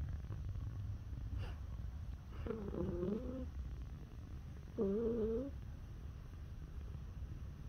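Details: Male neutered domestic cat born in 2017, calling when touched: two short, soft, low trilling calls about two seconds apart over quiet room hum.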